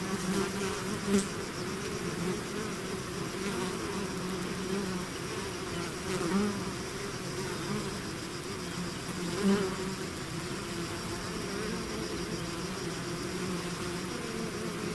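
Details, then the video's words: Honey-pot drone of a bee swarm emerging from its hive, constant humming with occasional louder individual bees zipping past, most noticeably near the start, middle and about ten seconds in. "bees therapy swarm natural buzzing sound"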